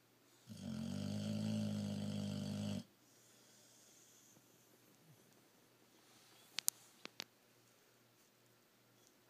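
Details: Stokely, a young Boxer of 1.5 years, sleeps in a room corner and snores: one loud droning, rattling inhalation of over two seconds, followed by quiet breathing and a few sharp ticks.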